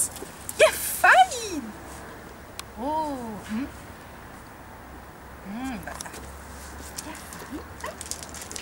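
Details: A 7-week-old miniature wire-haired dachshund puppy named Amelia resists her first lead. She gives a burst of sharp yelps, then thin descending whines at intervals, with faint background noise and possibly voices.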